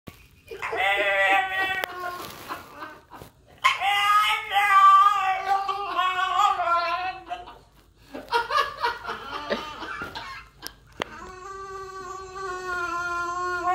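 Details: Pet French bulldog stuck in his cage cries with a high, wavering, engine-like whine, likened to a race car. The whines come in bursts of several seconds, rising and falling in pitch, with short pauses between.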